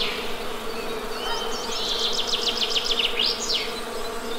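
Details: Western honey bees give a steady, low droning hum with layered harmonics, while a bird adds quick rising and falling whistled chirps high above in the middle of the stretch.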